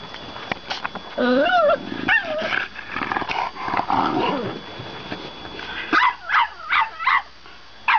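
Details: French Bulldog vocalising: wavering whiny, talking-like moans in the first half, then five short sharp yips spaced about half a second apart near the end.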